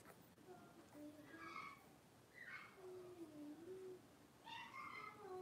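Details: Five young blenheim Cavalier King Charles Spaniel puppies at play in their pen, born around New Year's; drawn-out whining yips that rise and fall in pitch, three main bursts with softer lower whines between, against faint room noise.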